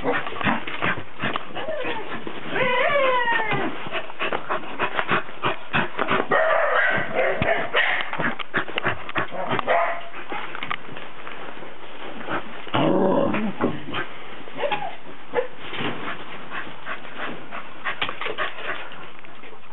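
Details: Cardigan Welsh Corgi recorded 19 December 2008 mixing rising whines with rapid yips and barks, busiest bursts near the middle and another loud flurry later, irregular clicking patter throughout.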